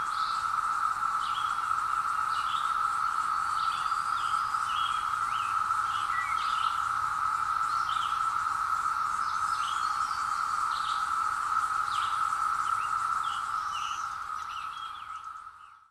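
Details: Hillside woods ring with the steady drone of periodical cicadas emerging after 17 years, recorded with a Zoom H2; a one-pitch buzzing chorus runs on beneath many bird chirps and whistles, then fades out at the end.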